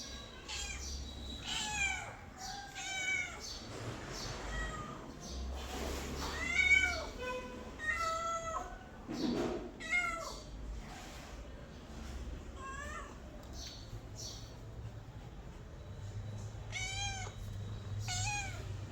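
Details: Mother cat together with kittens: a long series of high, thin, quavering mews, often in quick pairs or clusters, with brief pauses and soft rustling between them and a low hum underneath.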